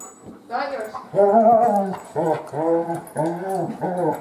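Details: Female Great Pyrenees puppy, almost three months old, newly brought home into a family; a series of tonal, arching whines or yelps, about five drawn-out cries in four seconds, each rising then falling, in a small indoor room.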